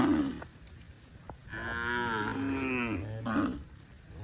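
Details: Tame cattle running in green grass rice fields on a farm; a short call, then a long drawn-out moo of about one and a half seconds with bright harmonics, ending with a brief second call.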